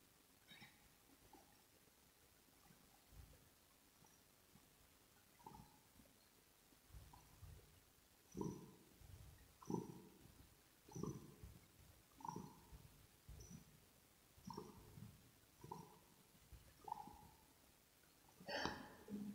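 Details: Kitten purring close to the microphone in a relaxing ASMR recording, with grooming and treat smacking mentioned; soft rhythmic bursts pulse about every second, each with a low rumbling base and faint higher clicks, over a quiet background.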